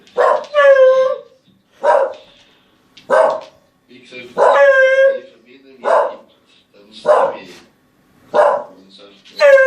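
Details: Pet dog making funny noises: short woofy barks roughly every second and a half, some rising into high harmonic whine-like yelps, in a quiet room.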